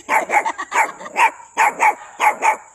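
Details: Dog giving a quick series of about eight short, high, yappy barks in pairs over three seconds, with a faint steady high whine underneath.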